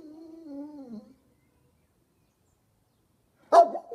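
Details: Kuvasz dog vocalising as if talking: a short, wavering whine of about one second, then a pause and a sharp, abrupt bark-like yelp at the end.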